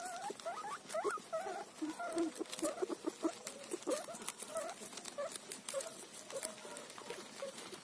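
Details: Cauliflower leaf being eaten by a guinea pig, giving a string of small wavering squeaks and chirps, about one and a half per second, over constant crisp munching and rustling.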